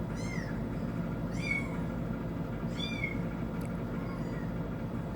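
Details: Domestic cat listening to kitten sounds on TV; three loud, high, bending mews roughly one per second, then a fainter final mew, over a low constant hum.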